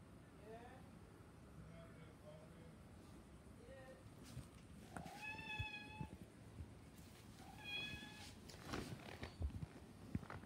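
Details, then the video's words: Black cat meowing twice, each a clear harmonic meow with a rising then level tone, over a low steady background rumble with some soft shorter cries early on. "Black Cat Meowing"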